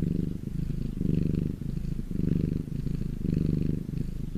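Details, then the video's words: Domestic cat purring in the sun: a steady low rumbling purr with breaths pulsing roughly once a second, alternating slightly louder and softer phases. "my cat purring in the sun"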